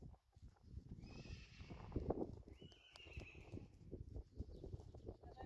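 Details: A Friesian horse on the herd's farm, during a riding session with the sport horse Reintje, lets out a drawn-out, strained whinny with steady upper tones lasting about two seconds, over hoof clatter and low rumbling background noise.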